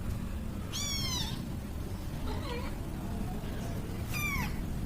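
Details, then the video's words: A mother cat and her kitten making meow sounds at home: two clear, high, harmonic meows that slide downward, a fainter softer mew between them, over constant low hum. "Mommy and kitten cats🥺 |Making Meow sounds"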